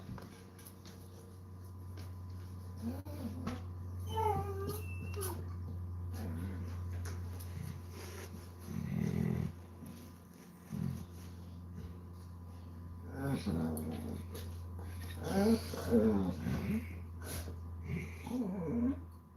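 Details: Basset Hound relaxing indoors on a Sunday, giving short rising and falling whines and grumbling moans in scattered bursts, with a steady low hum in the room throughout.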